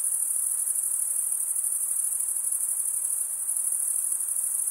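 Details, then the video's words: A dense chorus of crickets, males stridulating with their wings, gives an even, piercing high trill, lightly pulsing and otherwise unvaried, with no other sounds. "Most relaxing cricket sound"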